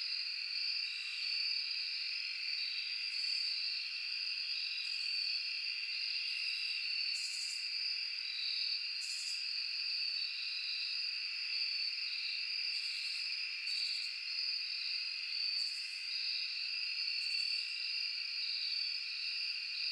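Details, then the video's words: Crickets chirping in a forest at night: a dense, steady chorus of high, continuous trills layered in two bright bands, with brief, sharper buzzy bursts popping up above them every second or two. No other sounds intrude. "Cricket sound at night."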